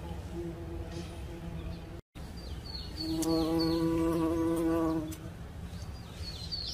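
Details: Bumblebee giving a vigorous buzz. A steady low hum swells into a loud, rich droning buzz for about two seconds, then fades back. Short high chirps of birds are heard in the background.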